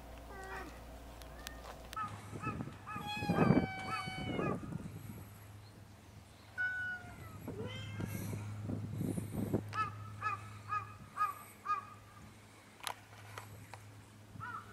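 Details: Cats on Japan's Cat Island meowing repeatedly, with several drawn-out, pitch-bending cries followed by a run of short, quick mews over a steady low hum.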